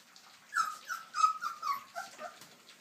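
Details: Cane Corso puppies at their first meal give a run of short, high, whining whimpers, each sliding downward and repeated several times in under two seconds, in a quiet room.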